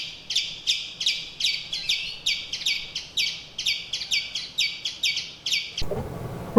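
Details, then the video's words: Hotel verandah in Kumily, India: a tiny forest squirrel, joined by a second, gives its alarm at the hotel's cat. A fast, steady train of sharp chick notes runs for about six seconds, then ends in a burst of rustling noise. "When I heard this chick sound, I immediately recognised the alarm call of one of the tiny forest squirrels. So"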